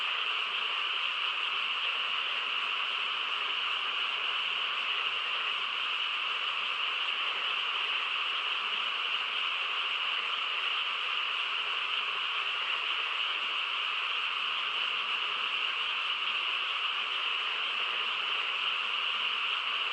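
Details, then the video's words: A countryside frog chorus on a still night holds a constant, even roar of massed calls for twenty seconds, unchanging in level, with individual croaks blurred into one continuous shimmer. "고요한 시골 밤에 개구리 합창 소리"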